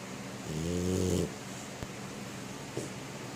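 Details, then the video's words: Sleeping French Bulldog, a female lying paws-up tucked into bed, gives one long, deep, rumbling snore with a gravelly buzz, then a soft snuffle and small clicks. "Frenchie Snoring in Her Sleep"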